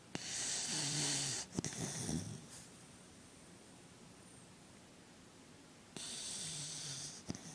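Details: A pet dog snoring and twitching in his sleep: two harsh, hissing snores over a second long, separated by several seconds of quiet breathing, with a few sharp clicks and snorts between.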